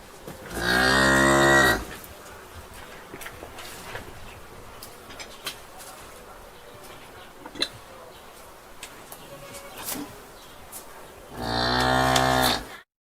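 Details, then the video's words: Cow in a barn giving two long, loud, deep moos with rich harmonics, each lasting over a second, one at the start and one at the end, separated by about ten seconds of quiet barn ambience with scattered knocks and clicks. "Barn Ambiance Cow Mooning Sound"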